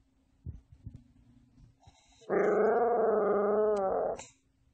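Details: Pet dog, answering a person who keeps asking whether it has anything else to say, lets out one long, steady, wavering howl-like vocalisation lasting nearly two seconds, after faint soft thumps and a quiet background hum.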